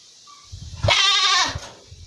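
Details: A black goat gives a single loud, quavering bleat over a steady background hiss.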